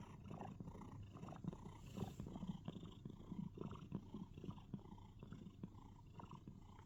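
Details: House cat cuddling inside a box, producing so-called cricket sounds: deep pulsing purr with rapid faint chirrups layered on top, rising and falling in loudness over a few seconds.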